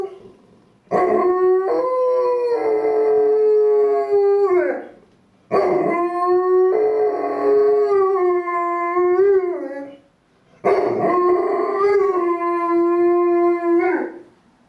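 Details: Dutch howling from a dog: three long harmonic howls of about four seconds each, separated by short silences, held at a steady pitch with wavering endings that bend upward before cutting off.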